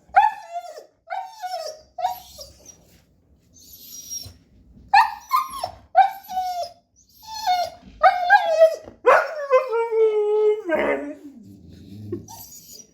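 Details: Siberian Husky (Canis lupus familiaris), whining vocalizations: asking to go outside.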